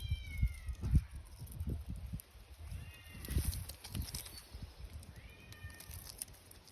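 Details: Stray cats living outdoors: three short, thin meows that slide downward, spaced a couple of seconds apart, over steady low rumbling and thumping background noise.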